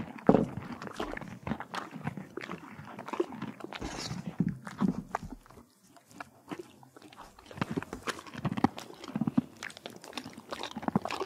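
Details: Crunching of carrots, apples and peppermints by a horse at the Kentucky Horse Park, Lexington, Kentucky: loud crisp bites and wet chewing, a quieter pause in the middle, then vigorous crunching resumes.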